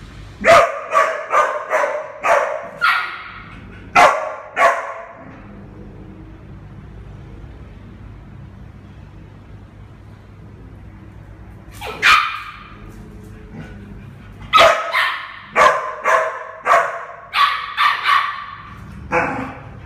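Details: Eleven-month-old mixed breed puppy named Minnie Mouse, up for adoption, barking: quick runs of sharp, mid-pitched barks at the start and end, separated by a long quiet stretch of faint background noise.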